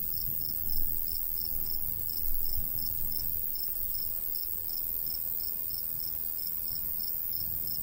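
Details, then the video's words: Cricket chirping in summer countryside beside a golden wheat field: a steady train of short, high, ringing pulses about three per second, over a low rumble of light breeze with two brief gusts. "Countryside/cricket sounds"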